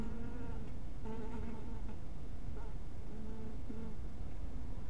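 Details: Honey bees around a small hive house at twilight, their wings giving an overlapping droning hum. Several buzzy tones rise and fade in short bursts, about half a second to a second long, over a steady low rumble throughout.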